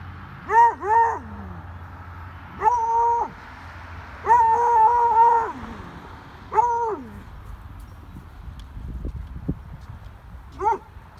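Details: A female Treeing Walker Coonhound barking at a rabbit gives drawn-out, tuneful bawling barks that sag in pitch at the end.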